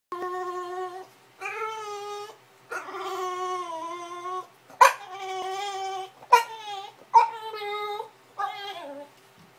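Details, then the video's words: Bulldog making funny crying noises: drawn-out, strongly harmonic whines of about a second each, some wavering or bending downward. Each is separated by a short pause, and several begin with a sharp yelp-like onset. Otherwise quiet indoor setting. "Bulldog making funny noises"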